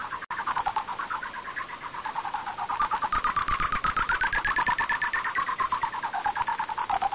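Greater horseshoe bat calls rendered audible as a rapid, buzzy train of clicking pulses with a thin high whine.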